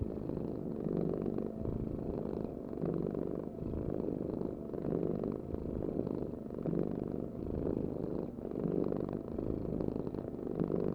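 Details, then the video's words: Rhythmic cat purring, a low buzzing rumble that pulses with each breath about once a second, steady and unbroken for eleven seconds. "Heal with the ultimate cat purring vibration"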